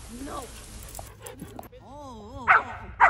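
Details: Dogs playing together in a school playground in Vancouver in autumn as leaves change color, most of them neutered; wavering tonal sounds and voices are followed by two sharp, loud barks about half a second apart near the end.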